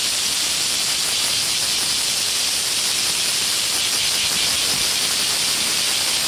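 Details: Cicadas calling in Hōei-chō, Kōchi city, Japan, in front of a Hanamaru Udon shop near the Warakō Museum: an unbroken, dense, high hissing drone that holds steady at the same loudness throughout.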